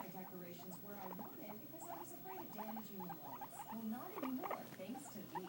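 Guinea pigs give a busy run of short, squeaky, chirping notes, rising and falling in quick succession.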